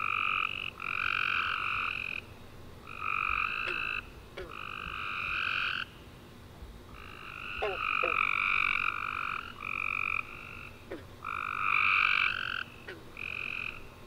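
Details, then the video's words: Tree frogs chirping at night after a warm rainy summer day: overlapping trills in long bands with two strong pitch layers, several callers alternating and overlapping, brief pauses every few seconds, with faint short downward chirps mixed in. "Tree Frog Chorus After A Warm Rainy Day"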